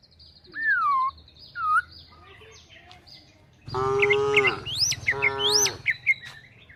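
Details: A calf gives two drawn-out, fairly high moos after a few whistled bird notes, while tame cows are herded toward the forest looking for food.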